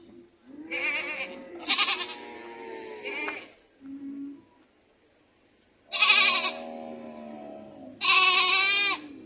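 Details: Goat screams: long, tense, ragged cries lasting one to two seconds each, mixed with wavering lower bleats and a short soft bleat. Loud screaming returns twice near the end over steady background hiss.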